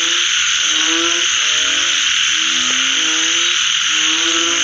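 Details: Post-rain frog calls, a few long tonal notes rising gently and overlapping, one sharp click midway, all beneath a continuous piercing high buzz.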